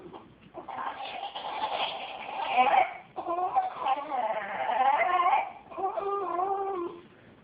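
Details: Jack Russell Terrier bitch making strange vocal noises at a cat, compared to being about to vomit. Loud, strained, wailing whines with a crying quality come in three long bursts separated by short gaps, the last one steadier and more tonal.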